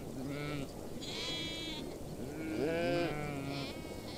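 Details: In a mixed herd of sheep and goats on the steppe at Bayandelger, Tuv province, Mongolia, several goats bleat in overlapping, wavering cries, with sheep likely among them.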